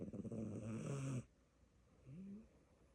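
A Siamese kitten snores: one rough, rumbling breath, then a faint, soft rising wheeze.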